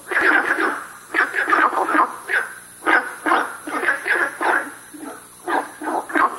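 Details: Günther's frog at South River Valley giving short bursts of rasping, dog-like barks in clusters of two to four notes, separated by brief pauses, over a faint high hiss.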